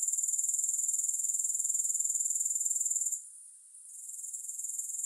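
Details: High, rasping grasshopper trill with a regular pulse of roughly four beats a second and no music, fading down after three seconds and slowly rising again toward the end.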